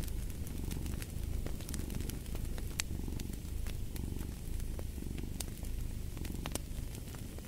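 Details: Soft rumbling cat purr rising and falling in slow waves under a crackling fireplace, whose pops and sizzles punctuate the background.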